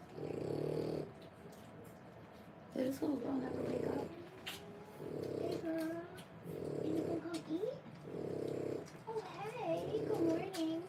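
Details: Three-week-old French Bulldog puppies born 1/10/25, whelping litter: thin wavering whimpers and squeaks rise and fall between repeated low, rough one-second bursts of sound, with soft rustling in between.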